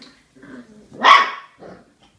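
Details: Small dogs biting each other in play, with one sharp, loud bark or yelp followed by softer low growling grunts before and after.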